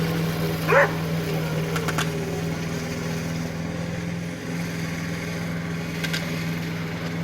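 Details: Pete, a Border Collie who treats the lawn mower as something to herd, lets out one short sharp bark near the start, then stays quiet under the steady droning hum of the running mower engine.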